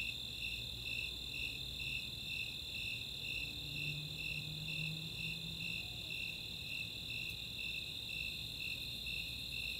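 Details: Nighttime summer chorus of Snowy and Four-spotted Tree Crickets in Chautauqua open space, Boulder, Colorado, with a steady high trill and regular pulsed chirps about two per second, plus faint low murmuring sounds.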